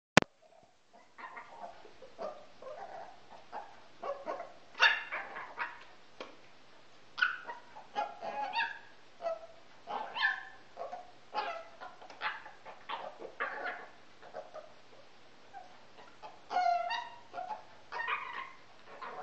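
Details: Male pet Pekingese during a repeated behaviour its owners call his "yoga", done very early each morning and most evenings; short harmonic yips, whines and barks come in irregular bursts one or two seconds apart, some rising and falling in pitch.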